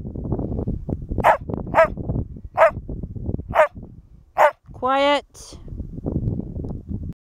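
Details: Border Collie barking on command during a working trials speak exercise on Lauder Common: five short, punchy barks at uneven intervals, then a drawn-out voiced sound with stacked tones, over low background rumble outdoors.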